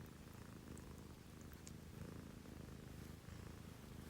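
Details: Early-morning purring from a female pet cat, one of two sisters, a Scottish Fold and a Munchkin, at home around 6 a.m.: a steady low rumbling purr running through the whole stretch, with faint small clicks above it.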